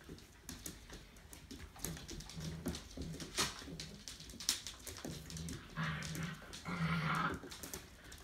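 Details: Labrador Retriever puppies, six and eight weeks old, at a breeding kennel, give soft high whimpers in short bursts, clearest toward the end, over shuffling and clattering noises.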